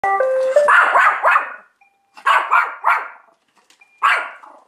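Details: One-year-old Pomeranian, hostile toward a Roomba robot vacuum at home, barks sharply in quick bursts after a short electronic beeping melody; three or four rapid yaps, a pause, then more barks.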